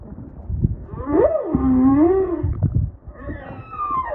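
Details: Humpback whale song recorded underwater during a kayak trip off Maui, Hawaii; a rising whoop slides into a long, wavering, falling moan, followed by a higher drawn-out tone, with water rumble underneath.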